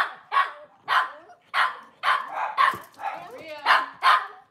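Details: Kitchen setting, cloudy Monday morning: a Cavalier King Charles Spaniel gives a run of evenly spaced, moderately loud barks, about two each second, with faint whining between.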